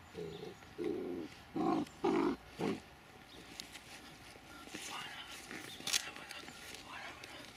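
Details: Dobermann named Mayhem Der Biss Von Einherjer, shown as puppy and adult, giving five short, rough, mid-pitched barking bursts within about two seconds, then quieter rustling and faint voices.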